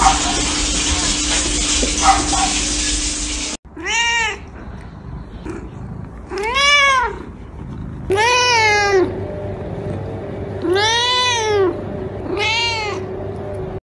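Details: Small kittens meowing repeatedly: after several seconds of rushing noise, about six clear arched meows follow, each rising then falling, some short and some drawn out, spaced roughly two seconds apart.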